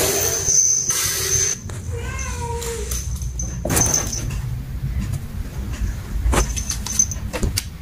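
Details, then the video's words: Domestic cat meowing, described as angry at another cat; one short harmonic meow that rises and then falls, surrounded by clicks, knocks and background rumble. "Cats meowing angry to the other"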